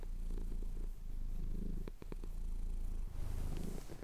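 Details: Male pet cat purring while having his chin scratched, recorded on a Tascam DR-07X; steady low rumbling purr with soft breathy pulses, brief clicks around the two-second mark.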